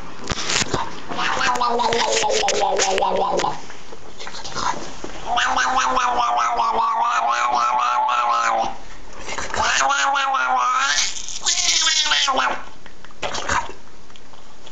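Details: Doudou, a domestic cat known as the singing cat, gives three long, drawn-out, wavering yowls with rich harmonics and a slight vibrato. Each lasts about two to three seconds and is separated by short pauses indoors.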